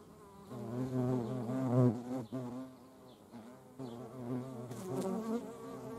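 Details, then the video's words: Hornet flying among wasps and honeybees, a loud, low, droning wing buzz that swells and fades over a few seconds as the insect passes close, with quieter overlapping buzzing from other insects. "Hornet, wasps and honeybees. Hornisse, Wespen und Honigbienen."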